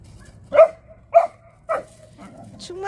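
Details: Dogs playing together with other dogs at a dog park: three sharp, loud barks about half a second apart, followed by softer low sounds and a faint high squeak at the end.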